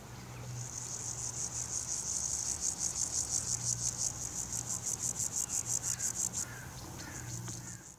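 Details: Grasshopper rubbing its hind legs against its forewings, recorded on a Nikon P900 fitted with a Raynox DCR-250 macro lens: one sustained, sharply pulsed high rasp lasting about five seconds, then quieter clicks, with a faint low hum underneath.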